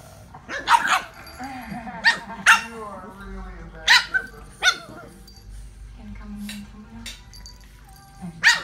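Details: French Bulldog making gremlin noises: low, wavering grumbles and whines broken by short sharp yaps, with a human voice talking between them.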